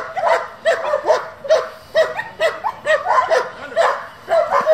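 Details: German Shepherd from a group devoted to breeding and competing with the breed, barking in a fast, uneven series of sharp, mid-pitched barks, roughly two per second, with no other notable sounds.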